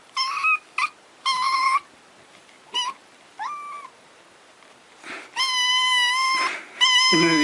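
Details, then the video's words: Cat meowing: several short clipped mews, then a long, loud, steady drawn-out meow and a final rising cry, with quiet gaps between calls. "cats meowing.😍 meows to attract cats 🤩.cat sound effects.😊"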